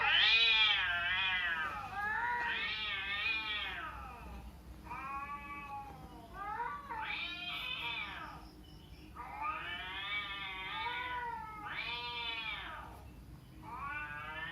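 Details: Domestic cat meowing and caterwauling played back to a cat: long wavering harmonic wails, some rising sharply, in near-continuous overlapping series with brief gaps.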